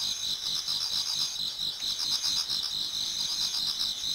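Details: A steady chorus of autumn insects in a Japanese garden toward dawn trills high and continuously, with overlapping pulsing chirps.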